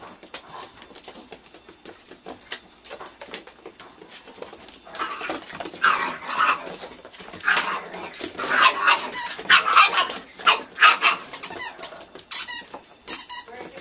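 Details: Nine-week-old Italian Greyhound puppies, several together indoors, giving high whimpering yelps and short squealy yips in irregular bursts that grow busier midway, over light clicking and scuffling of paws.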